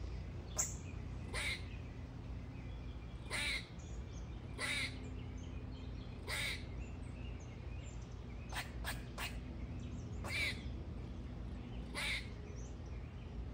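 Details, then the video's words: Squirrel giving brief harsh chirps at irregular intervals, sometimes in quick pairs or triplets, against a constant low background hum. "squirrel loves to sing"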